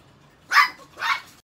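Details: Pet Chihuahua giving two sharp, high barks about half a second apart, each a short bright yap, against an otherwise quiet background.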